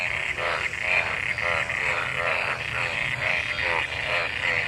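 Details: Frogs mating in pooled water after a monsoon downpour, giving rhythmic croaks roughly twice a second over a continuous background trill from many other callers.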